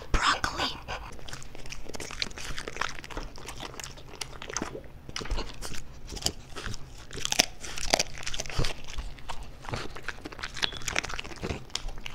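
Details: Male pet French Bulldog eating for an ASMR recording, with irregular crunchy bites and wet chewing scattered through the clip, some louder sharp crunches, and quiet room background between bites.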